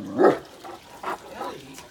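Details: A Great Dane on backyard patrol barks at a neighbour's dog, giving one strong, resonant bark and then two or three quieter, clipped barks about a second apart, with a person's voice faintly audible.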